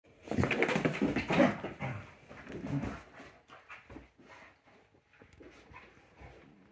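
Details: Basset Hound indoors with a new gorilla toy, giving a burst of rough, whining vocal sounds over the first three seconds that tail off into softer snuffles and faint rustling.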